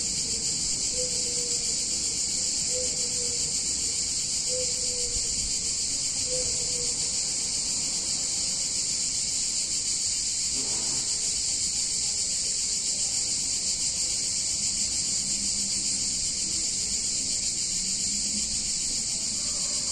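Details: Cicadas in a picturesque Italian town on a hot summer day: an unbroken, very high, hissing buzz dominates steadily throughout, with a few faint, soft lower tones early on.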